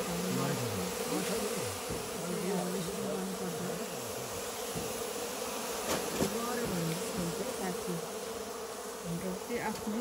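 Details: Many local honey bees at a hive box in a farm goat shed, smoked while honey is taken at about midday; a continuous low drone whose pitch wobbles up and down, with overlapping hums and soft human voices.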